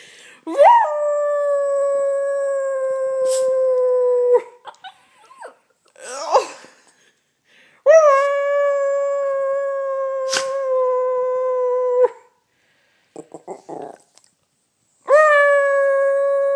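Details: Yorkshire Terrier kept as a pet howls in imitation of its owner: four sustained, even-pitched howls of about three to four seconds each, each opening with a quick upward slide, separated by brief gaps of quiet and soft noises.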